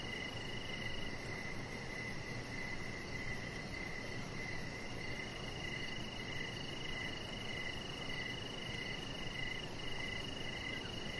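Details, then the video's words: Crickets at dusk outside a deck: rhythmic chirps pulse about every half second beneath an unbroken high trill, with delicate fast ticking very high and a dense low ambient hiss throughout. "Cricket Sounds"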